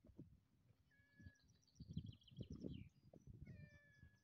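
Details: Pet cat that always wants to eat, giving short flat meows, one near one second and another late in the clip, over low rumbling background noise and faint high chirping.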